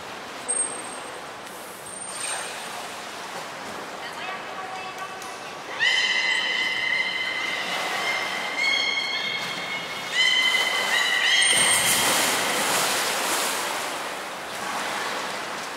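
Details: Belugas Hodoi, Taanya and Mirai during a training session at Port of Nagoya Public Aquarium on 14 September 2019: steady, tonal whistles with slight bends, held in overlapping runs over a constant hiss of crowd and water noise.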